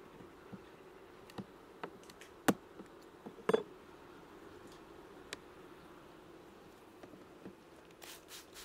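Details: Honey bee colony during a hive inspection on 21 July 2019, at the second spraying of the bees with 15% lactic acid; a low, steady hum with sharp clicks and taps from frames being handled.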